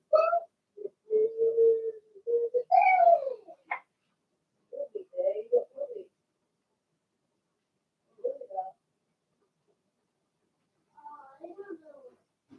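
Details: Whimpering from Blenheim Cavalier King Charles Spaniel puppies, a litter of six kept in an indoor pen: long wavering whines and yelps crowd the first six seconds, then softer scattered whimpers after pauses.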